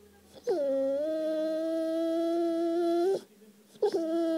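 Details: Siberian Husky howling to ask for affection, indoors: a long, steady, smooth howl held for nearly three seconds with a slight upward slide at the start, then a short break and the start of another howl.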